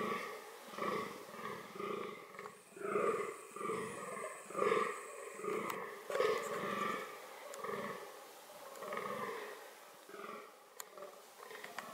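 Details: Fallow deer, reproductive behaviour: a long run of harsh, nasal, belching groans, each about half a second long and repeated irregularly around once a second, loudest in the middle, with a faint steady hum in the background.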